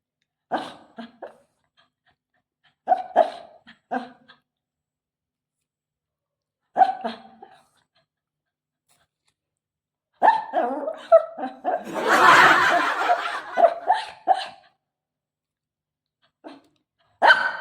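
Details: A Shih Tzu meets the owner's mother in a small room, barking in clusters of sharp yaps a few seconds apart, with a longer, noisier outburst near the middle; laughter heard around it.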